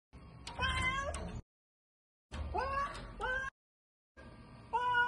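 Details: Cat climbing on a window; three drawn-out meows with rising then falling tones, each about a second long and spaced by short silences, over a low rumbling background.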